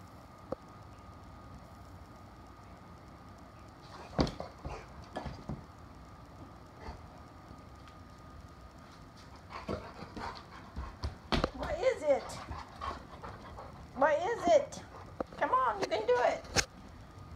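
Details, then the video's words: Layla, a 5-month-old female Great Pyrenees in Arkansas, spooked by ice in her water dish while being coaxed to drink: quiet opening, then short wavering whiny whimpers in the last seconds, with a woman's encouraging voice. "Layla Great Pyrenees Spooked by Ice in Water Dish"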